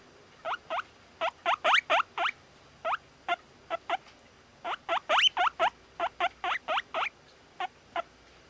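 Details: Two-month-old satin guinea pig boy, described as very sociable, giving short upward-sweeping squeaks in irregular bursts, some paired and some single, at moderate volume against a quiet room background.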